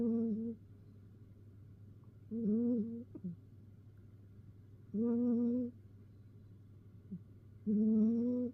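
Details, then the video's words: Indoor domestic cat before an afternoon nap, giving long, even, harmonic meows roughly every two and a half seconds, each lasting under a second, with a constant low hum in the background. "鳴いた後、いびきをかいてお昼寝する猫 The cat meows and then takes a nap, snoring."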